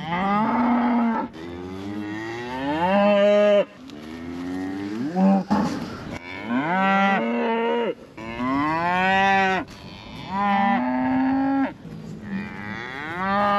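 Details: Scottish Highland cattle calling repeatedly because a calf is out, roughly one moo every two seconds; harmonic, bellowing calls that bend upward, varying between long drawn lows and shorter rising bursts.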